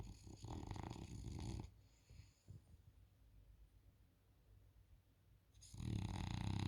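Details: A French Bulldog snores with deep, rumbling, raspy breaths while sleeping on a couch.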